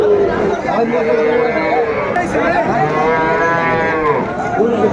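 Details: Sahiwal bull calves at a weekly cattle market in Nawabganj, Dinajpur, Bangladesh, on Tuesday 25 June 2024, with Barishal farmers buying; a long, drawn-out moo with steady harmonics rises over constant crowd chatter and nearby talk.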